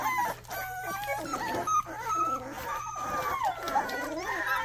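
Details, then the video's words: A large litter of Rottweiler puppies, six males and two females, giving a steady chorus of overlapping nasal whines and squeals that rise and fall, several pups calling at once, with faint human talk behind. "first barks"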